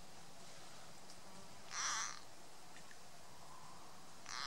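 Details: A green frog, being eaten by a grass snake, gives a loud, harsh, wailing distress scream in two bursts over a quiet background.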